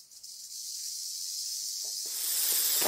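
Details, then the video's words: Rattlesnake shaking the keratin segments of its tail rattle, a warning buzz that protects it from trampling hooves; continuous hissing whir that grows louder and rougher toward the end, with faint low knocks. "What's this BUZZ all about | Rattlesnake"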